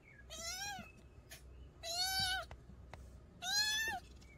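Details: Three bright, arched meows from a young mountain-village cat, aimed at repelling country rats, roughly one every one and a half seconds, over low rumbling background noise and soft ticks.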